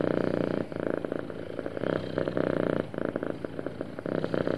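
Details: Contented house cat giving a smooth, happy purr, a continuous low vibrating rumble that rises and eases in rhythmic phases roughly each second, close and clear with no other sounds.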